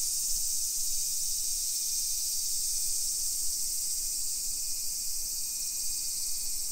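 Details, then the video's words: Summer cicadas in suburban Nisshin, Aichi, Japan, 1 PM on 28 July 2021, fill the air with a loud, unbroken high-pitched whine; a faint thin tone repeats in short bursts, over low background rumble. "Summer Cicadas Sounds"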